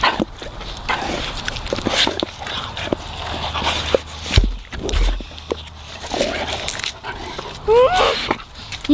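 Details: Labrador Retrievers gobble a juicy watermelon: irregular wet chomps and crunchy bites, with brief swallowing pauses and a thin rising whine just before the end.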